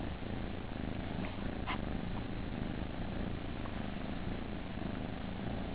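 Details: Close, continuous low purring rumble from kittens in a nursery, even and unbroken, with faint scattered clicks and a short rustling sound.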